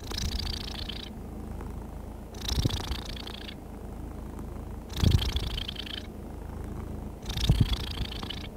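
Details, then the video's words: Happy, relaxed domestic cat purring steadily; low rumbling drone alternates with brighter, hissier breathing phases roughly every two and a half seconds, with soft clicks at each switch. "Happy cat purring smoothly comforting sounds"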